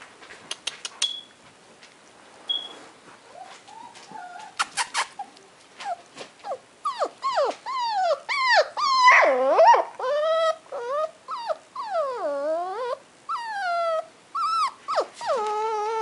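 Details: Cream and white male Toy Poodle puppy, a small breed expected to reach 7-10 pounds, opens with a few sharp clicks and taps, then breaks into loud, swooping whines and yelps that slide down and up, coming in quick bursts.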